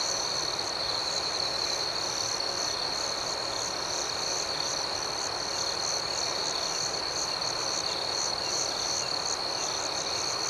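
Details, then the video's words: A dense night chorus of crickets, a shrill unbroken ringing with faint rhythmic pulsing above a soft hiss of background noise. "Soothing Cricket Sounds"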